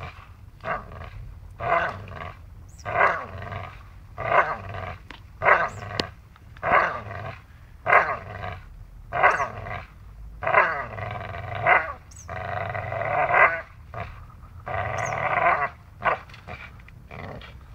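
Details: Dachshund playing and biting, giving rough harmonic growls in bursts roughly every second or two, rising and falling in loudness through the whole stretch, with short quiet gaps between each snarl.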